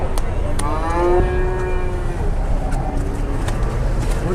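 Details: Jumbo cattle being loaded onto a tronton truck at Sobo market, eight already aboard with four more to go: one drawn-out, low harmonic moo lasting about a second and a half, over a constant rumble of engine and clattering knocks from the truck.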